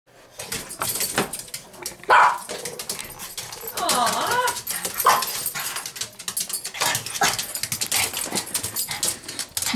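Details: Pet dog begging for a treat, giving rising and falling whines and short barks at irregular intervals, with a person's voice asking which one it wants.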